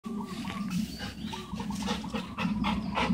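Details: Dog from a household with two Alaskan huskies, one blue-eyed and one black-eyed, and a golden retriever, giving a steady, low, tonal moaning vocalization with wavering pitch that holds for about three seconds and swells in pulses.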